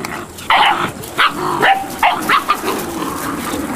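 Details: Malinois puppies, 8 weeks old, giving short high yipping barks in quick uneven bursts, several sharp yelps spaced about half a second apart, with fainter whines between them and background clatter.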